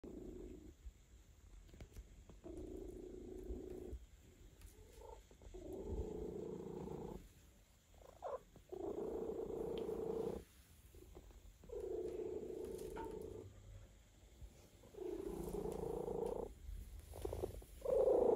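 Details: A relaxed male cat purring while being massaged, a soft low steady rumble in long stretches broken by short quiet pauses, faint and close, with small rustling touches between the purring bouts.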